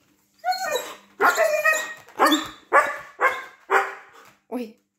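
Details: Indoor Siberian Husky Baikal asking to be let outside, voicing six loud drawn-out howl-like syllables, each sliding downward, roughly one every half second, with a shorter final yelp.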